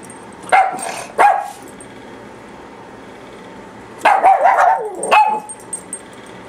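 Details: Papillon pair giving high, sharp barks: two single yaps near the start, a pause, then a rapid cluster of barks followed by one more short yap.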